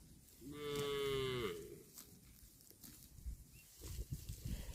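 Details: Cow eating grass gives one clear, drawn-out moo of about a second, a steady harmonic tone that bends downward at the end, followed by quieter rustling and chewing-like noise.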